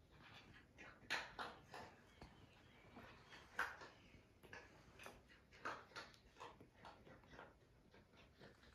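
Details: Nursing puppies on an Irish farm in County Kilkenny give repeated brief, faint whimpers and squeaks, irregularly spaced, roughly two dozen a minute, as they crowd in to feed.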